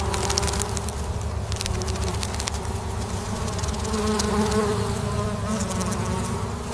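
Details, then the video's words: Soft, even drone of honeybees humming, low and unbroken, with a slightly higher whining tone rising toward the end and light ticking noises above. "Buzzing bees – gentle humming sounds of honeybees"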